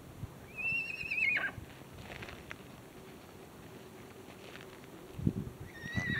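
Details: Wild horses with a foal in Arizona, 2024: a high, wavering whinny that falls in pitch near the start, then a second shorter whinny at the end, with soft low thuds and rustling in between.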